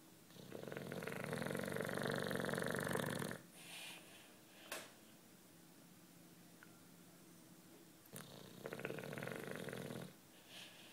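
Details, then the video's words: Sleeping British Bulldog Juanito, nine years old, gives a loud rattling snore lasting about three seconds, then a quiet gap with small snuffles before a second, softer snore near the end. "Bulldog Snoring"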